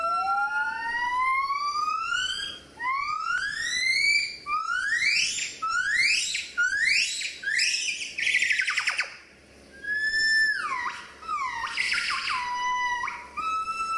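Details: Gibbons at play give pure whistled notes that sweep upward, quickening and climbing in a rising series, then break into sharp shrieks, followed by falling whoops; faint room noise behind.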